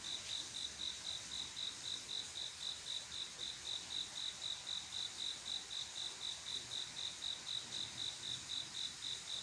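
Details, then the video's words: Cricket on a quiet summer night, a male calling a female to mate: a steady high chirping, about four regular pulses a second, repeating without pause, with a soft background hiss. "조용한여름밤 귀뚜라미소리"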